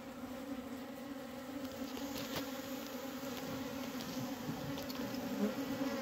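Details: Continuous droning hum of honey bees inside a diseased hive in Humla, with dead bees present. A steady low buzz with a clear higher overtone holds throughout, with occasional soft taps over the drone.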